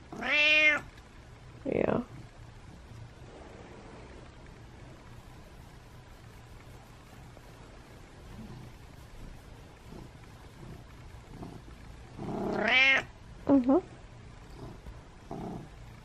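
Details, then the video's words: Domestic cat meowing in the morning, wanting to be petted: a loud harmonic meow opens, then near the end a long drawn meow and a short squeaky one follow, with soft human voice in a quiet indoor room. "Pet Me Morning Meows"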